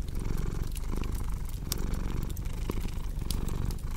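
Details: Steady rumbling cat purr, low and even, pulsing in short breath cycles, accompanied by crisp crackling and popping from a fireplace.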